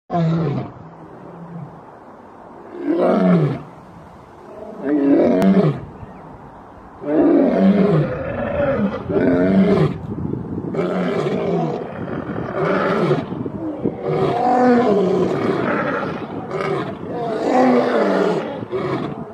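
Male lions roar in deep, groaning bursts that follow one another at a steady, unhurried pace.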